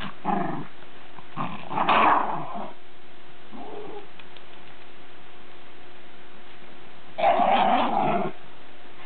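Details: Lakeland Terriers playing in snow: rough, low growling bursts, four separate spells of about half a second to a second each, spread over nine seconds with quiet gaps between, a faint steady hum underneath.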